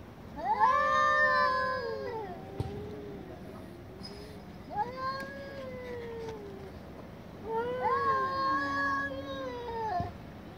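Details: Angry domestic cats in a loud chorus: three long wailing meows, each rising then holding and sliding down, separated by pauses of a couple of seconds.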